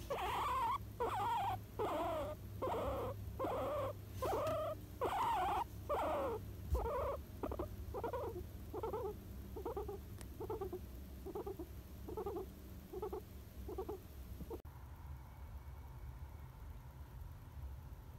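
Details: Pet guinea pig Moi, filmed around a Golden Week nap, gives a steady run of short pulsed calls, roughly one per second, growing softer and ending near fifteen seconds, over a low background hum.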